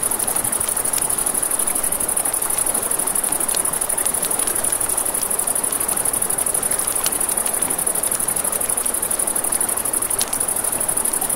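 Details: Crickets by a river at night sustain a thin, high, rapidly repeating trill throughout. Frequent crisp pops of burning campfire wood and steady rushing water fill the lower range.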